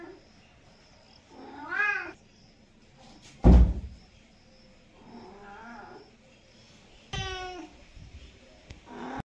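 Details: Pet cat giving a few short meows separated by silences, with a loud thump or knock partway through and a sharp, higher meow near the end in a quiet indoor setting.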